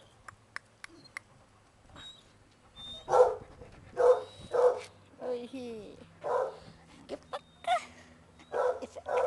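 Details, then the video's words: Basset hounds romping and playing at a breeding kennel. Several loud, harsh barks come in a burst midway, then whines and more barks follow. Soft background noise fills the gaps. "bagunça e festa de basset hound"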